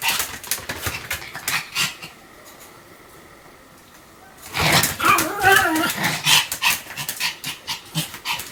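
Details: Pomeranian Sam in a run of continuous barking: quick yaps for two seconds, a near-silent gap, then a dense burst of shrill barks mixed with whiny tonal yelps.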